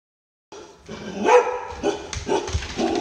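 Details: Under-confident, skittish Poodle that distrusts new people and cowers, barks and shakes when meeting them; several short, sharp barks spaced about half a second apart, opening after a brief silence, with muffled room noise between.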